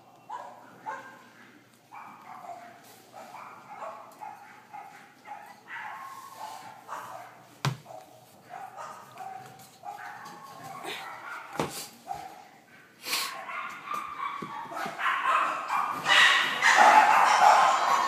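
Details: A cream-white female French Bulldog puppy, born 19 May 2013, eating weaning food and growing well, gives repeated short whiny yips and whimpers about twice a second, growing louder and busier toward the end.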